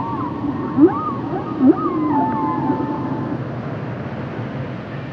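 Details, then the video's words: Humpback whale song from Roger Payne's 1970 album: a cluster of rising whoops and wavering moans in the first three seconds, some sharp upward swoops, then fading to a steady underwater hiss. "Songs Of The Humpback Whale"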